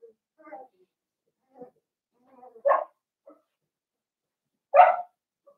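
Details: Blenheim Cavalier King Charles Spaniel puppy, one of a litter of five in an indoor pen. Soft murmurs and squeaks lead into two sharp single barks roughly two seconds apart, with quiet between them.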